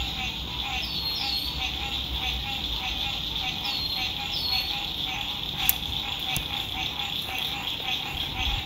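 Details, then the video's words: Spring 2021 sunset frog chorus beside a lake at an RV campsite: a continuous, pulsing wall of calls. Several sharp, falling bird whistles cut through, and a low hum of distant road noise runs underneath. "Sunset Frog Songs"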